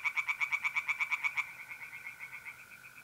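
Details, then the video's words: Pond tree frog at night in mid-April, north-east Italy: about a dozen loud, crisp, knocking pulses in quick succession, then fading to softer distant pulses, backed by the steady whining trill of mole crickets. "relaxing singing tree frogs in pond"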